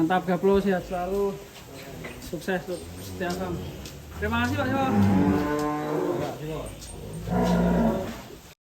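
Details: Cattle at Setia Farm in Indonesia as a cow breaks loose: deep, harmonic mooing rises and falls over several seconds, with people talking and low rumbling in the background.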